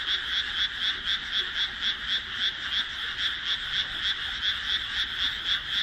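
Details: Dusk frog chorus from a newly planted rice paddy between houses, 1 June 2012: steady, evenly spaced pulsed croaks about four per second ride over a constant dense trilling background.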